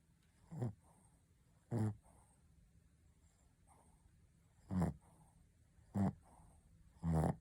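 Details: Dozing pet Shih Tzu Ponta produces short, gravelly snorts, two early ones, a long quiet pause, then three more in quick succession, over faint background hiss.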